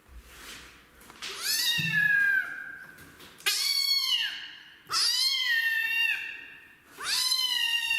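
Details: Kitten loudly complaining about being bathed: four long meows, each opening with a sharp rise and then sliding downward, spaced about one to two seconds apart, with a faint low knock near the start.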